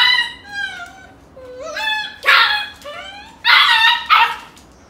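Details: Golden Retriever mother play-wrestling with puppies, teaching them to toughen up; high sliding whines lead into sharp yips and short barks near the end, in a small indoor room.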